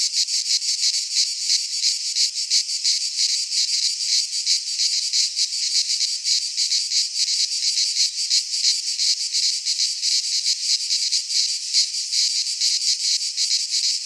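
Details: Cicadas of the Greek fauna singing in a pine forest at midsummer: an intense, metallic, hissing drone beating in quick pulses, constant from start to end.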